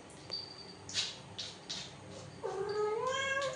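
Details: Pet cat indoors while being coaxed to relieve itself: soft scratching scuffles, then a long, loud meow that rises and holds, its rich harmonics swelling for about a second at the end.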